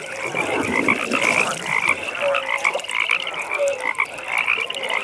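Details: Frogs calling at a pond in the evening: dense pulsed trills in rapid bursts run almost without pause, with a few short low tonal croaks breaking through underneath.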